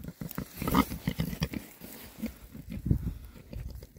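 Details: Rare breed Oxford Sandy and Black pigs, a group of six boys, foraging happily in winter between storms; deep, rumbling grunts in a dense cluster, mixed with chewing and rooting sounds.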